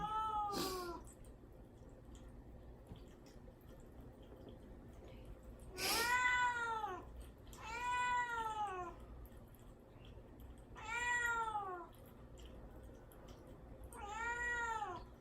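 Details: Caged cat Mamedaifuku, kept without food or water ahead of castration surgery, crying to get out: five long plaintive meows spaced a few seconds apart, the first two sharper and noisier, quiet room between calls.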